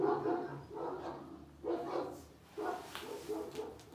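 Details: Kangal puppies, a karakırcıl and a boz karabaş, let out four bursts of squeaky, yelping barks, roughly one each second, with quiet gaps between them.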